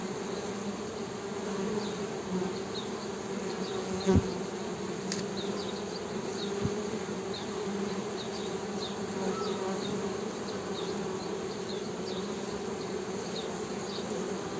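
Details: Even, buzzing drone of honey bees held for the whole stretch, low-pitched with a clear overtone, with a couple of brief clicks and faint distant high-pitched chirps behind.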